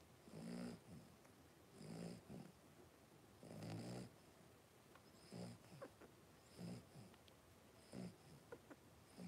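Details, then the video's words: Blenheim Cavalier King Charles Spaniel puppies, a litter of five aged three weeks, playing and wrestling indoors in their pen; rough, nasal grunting breaths pulse in uneven bursts, about seven over nine seconds, each carrying faint high whistling tones. "3-Week-Old Cavalier Puppies Wrestle and Play Live"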